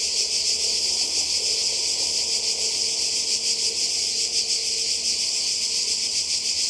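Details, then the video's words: Cicada chorus beside the sea in Croatia, summer 2020: an unbroken shrill, hissing buzz with a quick wavering pulse, plus a faint low hum underneath. "Kroatien Zikaden und Meer"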